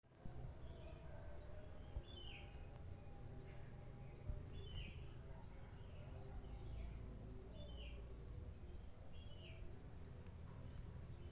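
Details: Cricket chirping in the morning: short high-pitched chirps repeated steadily throughout, set against a constant low rumble, with occasional descending whistled notes from birds in the background.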